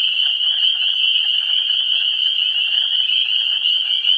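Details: Frogs calling at a vernal pool before spring, 17 March 2016: a dense, unbroken chorus of many high, shrill peeping voices merging into one steady ringing band, with faint scattered lower trills beneath.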